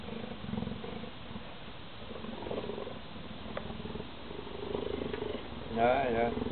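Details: Cheetah giving a low, rapidly pulsing purr that rises and falls in loudness, with a short human voice near the end.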